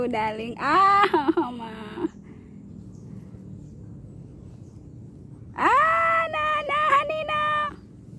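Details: Cat meowing in two long, drawn-out wailing calls about three and a half seconds apart, the second rising sharply at its start and then wavering, with a quiet pause between them.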